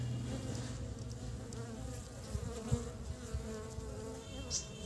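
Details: Honey bees at work in early spring, collecting pollen to build the nest; a dense, even hum with soft pulsing tones, dotted with brief taps and a short high chirp near the end.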